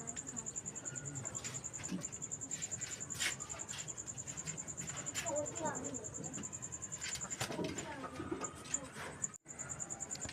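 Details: Cricket heard at night, its high, fast, regular pulsing running for about nine seconds, mixed with scattered knocks, rustles and handling noises before a brief dropout.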